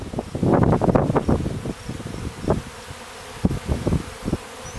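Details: Low droning buzz of honey bees leaving their clustered hive after a cold winter on a farm in Stillwater, Minnesota; a dense burst in the first second fades into scattered short buzzy pulses.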